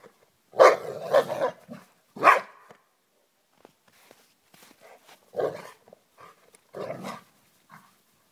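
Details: Freddy the Basset and Jed the Labrador wrestling in snow on Christmas Day; rough, noisy growls and grumbles in bursts of about half a second, several close together, then quieter gaps and further growls.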